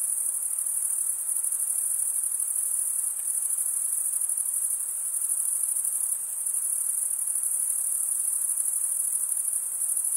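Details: Crickets chirping by stridulation, mostly males: an unbroken shrill band of rapid pulsing, slightly swelling and fading in places, over soft background hiss.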